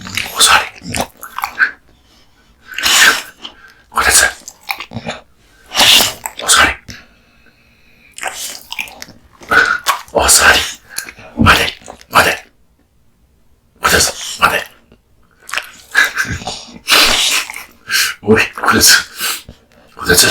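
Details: Kotetsu, a male American Bully born in 2016, devours a big raw meat and bone lunch indoors: loud, wet crunching and gnawing bursts come in irregular clusters of one to two seconds, separated by short quiet pauses.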